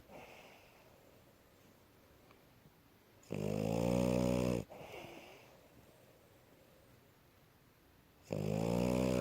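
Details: Snoring of the French Bulldog Asya, tired and asleep after running around: two loud, rough, droning snores with a quiet breathing gap of about four seconds between them, in a small quiet room.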